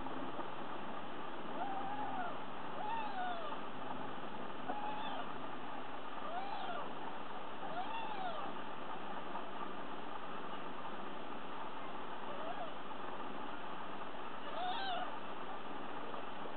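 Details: Litter of three Sphynx kittens only three days old mewing: thin, high arched cries with bright overtones, repeated every one to two seconds in loose bursts, with a constant low background hum throughout.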